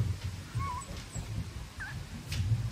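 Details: Young Staffordshire Bull Terrier pups, among them two little females, huddled in their litter; short thin whining squeaks, a couple of bent upward-then-down whimpers, over soft low bumping and movement noise.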